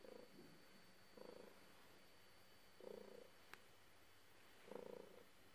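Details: Domestic cat purring while being petted: low rumbling bursts come at uneven gaps, four pulses in a few seconds, with one sharp click partway through and a quiet indoor background.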